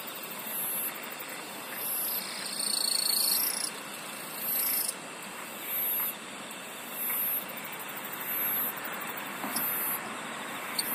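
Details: An insect sings in high, rapid pulsed bursts, each lasting under a second and repeating about once a second, over a softer steady background chorus.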